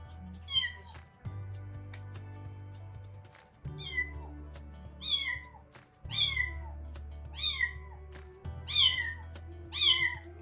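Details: Foster kitten born in a construction company's yard meets the resident tuxedo cat for the first time in summer 2019. It cries in high, falling meows, one every second or two, over soft background music and a low hum.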